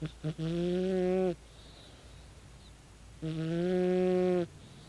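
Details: Tabi, a 16-year-old calico cat, snores loudly while asleep: two long, buzzy, strongly tonal snoring breaths, each about a second long and spaced roughly two seconds apart, opened by a couple of short snorts, in an otherwise quiet room.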